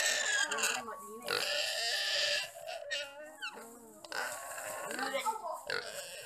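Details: A wild boar on Komodo Island, attacked and eaten alive by three Komodo dragons, cries out in shrill, strained squeals that rise and fall in short bursts, broken by rough grunting, as people talk over it.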